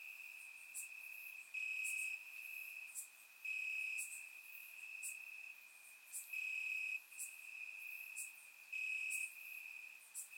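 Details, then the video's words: Crickets in grass chirp through a warm summer night in Bulgaria, recorded in surround sound; persistent shrill trilling rises into louder bursts roughly every two to three seconds, with other insects ticking faintly higher. "Cricket Sounds - Crickets Chirping at Night"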